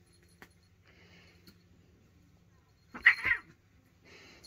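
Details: Two house cats, Stitch and Lilo, at home as Stitch provokes Lilo into a fight: a single harsh, strained half-second cry with stacked overtones bursts out of near silence, followed by soft rustling and faint household noise.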